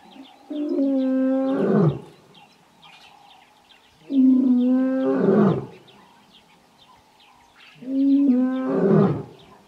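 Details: In the Kgalagadi at Urikaruus in March 2018, a male lion gives deep, moaning roars about every four seconds, calling to his two coalition brothers.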